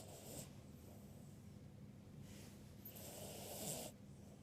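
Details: Ruby Cavalier King Charles Spaniel Birdie asleep and snoring moderately. Several soft, rasping breaths recur every second or so, ending with a longer, louder hissing snore.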